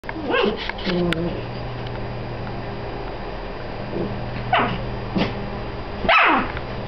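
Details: Two Dachshund sisters squabble over who gets to be inside a tee pee, giving short, sharp yips and barks mixed with rough growling, spaced through the clip.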